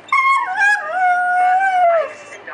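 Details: Domestic greyhound giving a long, drawn-out, howling 'talking' vocalization: a tonal whine that starts higher, dips, then holds steady before sliding down at the end, about two seconds long, with rich overtones.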